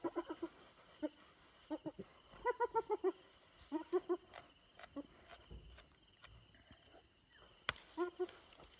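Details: Hyenas fighting over an impala carcass stolen from the leopard Little Bush and her cub, near Selati Camp. Short bursts of rapid, stuttering, laugh-like giggles come in clusters with brief pauses between them.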